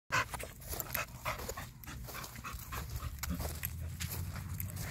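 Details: American Staffordshire Terrier, a stud guard dog kept tied out, making short breathy bursts that repeat unevenly over a steady low rumble, with one loud burst at the start.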